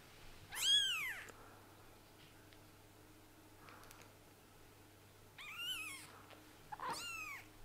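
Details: Newly sighted kittens giving high, arching mews indoors: a loud single cry, a quiet gap with faint rustles, then two more mews close together, over a low steady hum.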